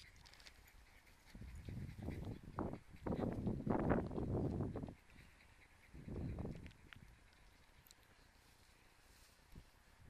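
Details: A tired Cairn Terrier makes deep, rough, breathy grumbling groans in short bursts, several close together and then one more after a pause, low and muffled with quiet room noise between, then falls quiet.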